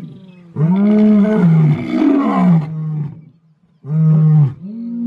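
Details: South African wild lion giving two deep roars: a long, full-bodied call with a wavering pitch, a quiet pause, then a shorter, lower roar.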